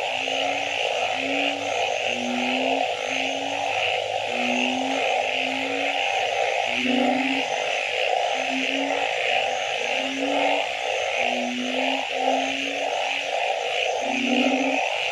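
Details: Mixed frogs singing at night, a steady run of short low hooting notes roughly twice a second with rattling pulsed calls between, all backed by a persistent high insect buzz.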